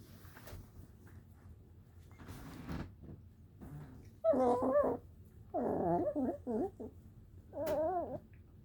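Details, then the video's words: Young puppy voicing baby sounds after a good-morning greeting: after a few soft rustles, louder wavering whines and yips come in three bursts, each with a bending, warbling pitch. "Puppy Cece makes baby sounds when Daphne says good morning."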